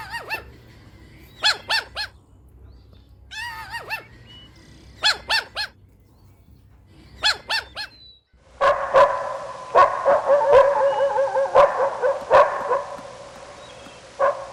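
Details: Puppies in a playful outdoor toy battle with their mother dog: short sharp yips in spaced bursts, followed by a stretch of louder continuous harsh barking and yapping.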